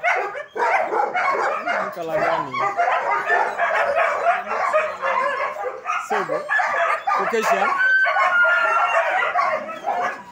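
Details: German Shepherd dogs at a training academy; a dense run of loud, irregular barks and yelps, roughly two a second, several overlapping, with some whining and human voices mixed in.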